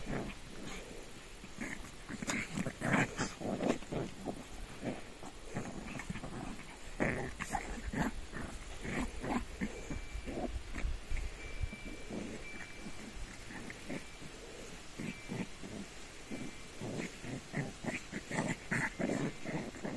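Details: Shih Tzus at evening play: a rapid run of short, rough growls and huffing snorts, irregular bursts throughout, with a faint thin tone in the background.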